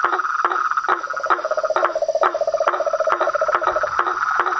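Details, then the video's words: A wild chorus of toads, frogs and a tree frog: a bright rattling trill runs throughout, a lower beaded trill joins in the middle, and crisp clicks fall roughly every half second. "Os sons dos sapos , rãs e perereca na Natureza"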